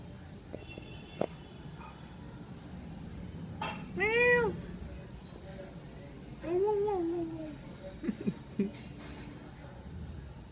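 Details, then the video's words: A cat drinking milk gives one loud, bright, arching meow, followed a couple of seconds later by a longer, lower, wavering meow that trails off, with scattered clicks and taps around them. "Funny Cat Sounds"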